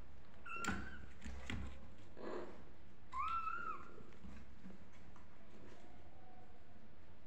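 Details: Kittens crying and calling for their mother: two clear, wavering mews near the start and at about three seconds, each rising then falling, with soft thumps and faint shorter cries in between.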